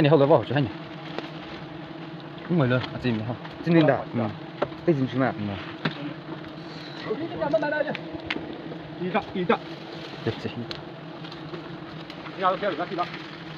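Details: Honey bees in Nagaland as their hive is harvested the traditional way: a steady, low droning hum runs through the whole stretch, while people talk loudly and intermittently over it.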